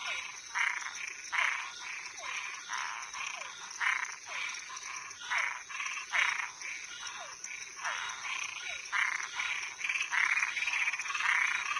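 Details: Toads and tree frogs calling at night: a dense chorus of harsh, pulsed croaks overlapping roughly twice per second, with short downward chirps between them and a steady high insect-like hiss behind.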